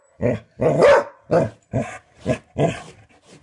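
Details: Short burst of indoor barking at a flicked doorstop: six or so clipped, gruff barks in quick succession, the second longer and rougher.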